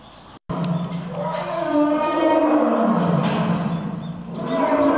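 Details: Lions Earth and Silk trading roars in a roaring contest at Nonhoi Park, Toyohashi Zoo, Japan; a loud deep harmonic roar sweeps downward in pitch and swells steadily after a brief sharp cutoff at the start.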